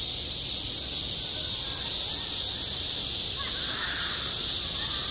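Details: Cicadas singing on a school playground in midsummer: a dense, steady high-pitched hiss filling the upper register, with soft rhythmic pulsing in its top edge during the first seconds and faint distant voices below.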